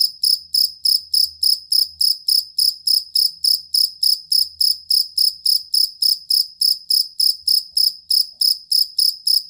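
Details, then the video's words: Cricket, called jangkrik kalung or jangkrik aduan, recorded as a tutor sound for competition songbirds: high, pure chirps pulse steadily about three and a half times per second, each a short trill, with a faint low rumble beneath. "Suara Jangkrik Master Burung"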